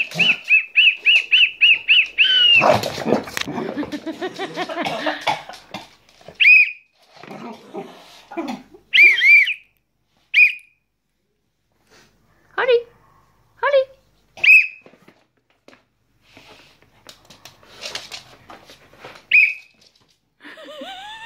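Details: Holly, a pet cocker spaniel that dislikes whistles, reacting to whistling: a fast whistled trill gives way to a wavering, harmonic howl-like whine. Then come scattered short whistled notes, a few yelps and quiet pauses.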